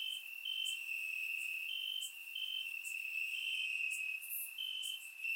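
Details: Crickets chirping in grass on a warm summer night in Bulgaria, recorded with a surround microphone: a steady high trilling band with brighter pulses stepping up and down about once a second, plus faint higher ticking insect notes.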